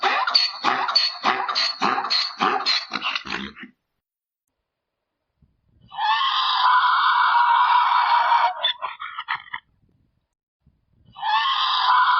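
A mule brays: a rapid string of rough pulses, then long, loud, harmonic honking notes.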